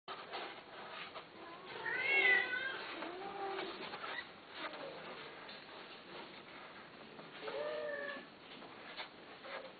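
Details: Cat offered for sale, giving a loud drawn-out meow that rises then falls, a lower wavering meow right after, and a pair of shorter meows later, over a soft steady indoor hiss.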